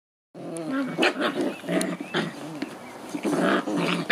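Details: Eight White Swiss Shepherd puppies at seven weeks old, their overlapping high whimpers and short yelps running almost continuously, wavering and bending in pitch, with several voices at once and brief louder cries throughout.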